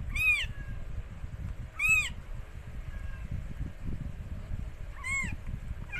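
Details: Stray rescued cat Mikey giving birth to four kittens: two quick high arched mews close together, a pause of about three seconds, then a third mew, over low room noise.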